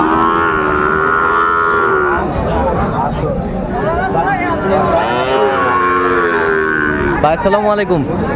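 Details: Sahiwal bull calf, about six to seven months old, at Aftabganj cattle market in Dinajpur, Bangladesh, on 1 July 2025 as trading begins; long drawn, wavering moos with rich harmonics, several overlapping, amid crowd chatter.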